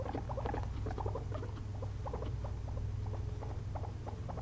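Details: Napping after a long day of frozen blueberries, two pet guinea pigs make clusters of tiny rising chirps, densest early and thinning out, against a persistent low hum.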